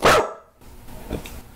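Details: Rescued senior Staffordshire Bull Terrier mix during a lemon taste test, giving one loud sharp bark at the start, followed by quieter rustling and a faint short sound.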